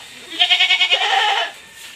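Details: A single loud, quavering bleat from a pregnant goat at a backyard farm during feeding, pulsing quickly for about a second before fading into quiet.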